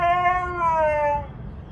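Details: A Siberian Husky, seemingly upset that her snow is melting in warm weather, gives a brief, tonal howl that slides gently downward before trailing off.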